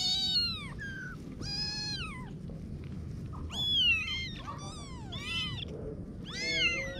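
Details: Kittens meowing: a run of high, arching mews, each short cry rising then falling, coming in quick clusters over a steady low background hum.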